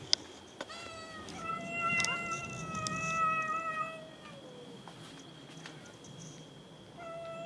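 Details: Domestic cats meow while fighting over food, one long loud harmonic meow held for about three seconds before sliding down, followed by a quieter meow near the end, with sharp clicks and knocks around it.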